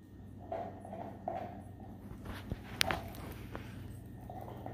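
A Weimaraner gnaws a bone, with sharp crunches and clicks over a low steady hum.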